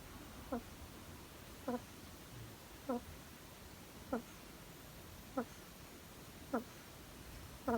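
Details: Hedgehog kept as a pet, snoring in sleep with brief nasal squeaks, one roughly every 1.2 seconds at a steady pace, soft against low background noise.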